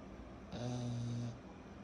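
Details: Kyro, a 14-month-old pug puppy, snoring while asleep: a single deep rumbling inhaled snore lasting under a second, low and buzzy with a hissy edge, in a quiet indoor room.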